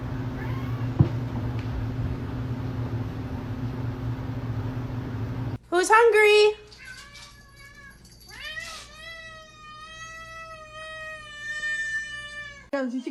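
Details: Pet cat wanting food indoors, with a person's voice first; then loud harsh meows followed by a long drawn-out, wavering, tonal meow lasting several seconds, ending abruptly.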